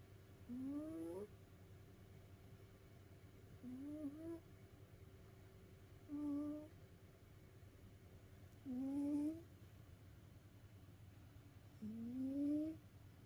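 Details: Tired from play, a pet cat sleeps and snores in a regular rhythm: five short rising whistled squeaks, each about half a second long, coming every two to three seconds over a low background hum.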